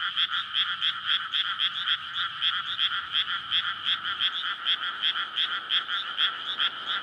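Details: Courting frogs in a flooded paddy field on a May night before rice planting; a thick chorus of rattling croaks repeating several times per second, unbroken for the whole stretch, faint low rumble in the background.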